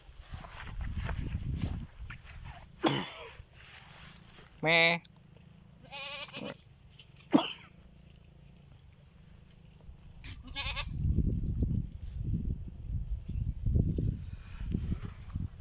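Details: Goat; bleat; answering a person calling them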